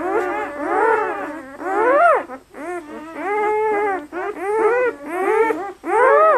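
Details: Newborn German Shepherd puppies, 48 hours old and very lively, from a litter of eight red and black pups (five male, three female) at Seelenvoll German Shepherds in Maine, New England; overlapping high, rising-and-falling squealing whines in bursts with brief pauses.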